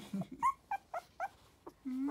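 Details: Sturdy-bodied Tiny Poodle giving short, high, whiny yelps, about five brief rising-falling whimpers in two seconds, mixed with a woman's soft speech and a low drawn-out vocal note at the end.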